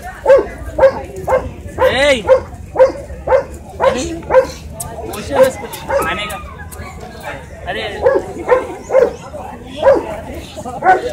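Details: Small Shih Tzu barking repeatedly throughout, quick yappy barks roughly twice a second with uneven gaps, plus a drawn-out wavering whine-like sound early on.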